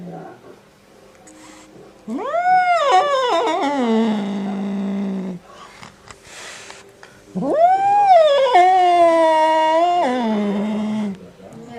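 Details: Domestic cat making a strange sound: two long, drawn-out harmonic yowls, each about three seconds, swelling upward, wavering, then sliding down into a low moaning tail, separated by a quiet pause with faint background noise.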